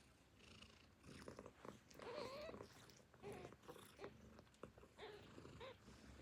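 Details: Hungry newborn kittens mewing softly while nursing from their mother: several short, thin, rising-and-falling mews spaced irregularly across the stretch, with rustling and suckling noises underneath in a quiet indoor setting.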